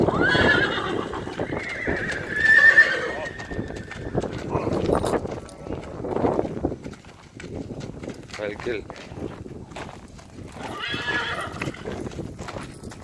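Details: A mare is led to be bathed. Early on she gives a loud, quavering whinny among hoof clip-clops, while people talk throughout.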